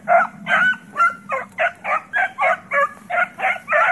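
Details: Puppies at play around the house bark steadily, about eleven bright, yelping barks in quick succession, each with a rough, ringing tone over a low indoor hum.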